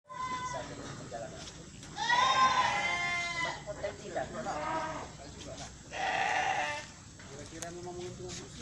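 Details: Etawa goat in Aceh Tamiang, kept for milk: two loud, long, wavering bleats at about two and six seconds, with shorter quieter bleats between and after, over steady background hum and people talking.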